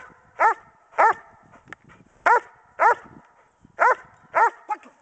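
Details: Kodiak, a pregnant female German Shepherd Dog carrying 10 puppies due in three weeks, in Schutzhund bark and hold training on January 15, 2010: six deep, harsh barks in pairs, roughly every half second, with brief faint whines between.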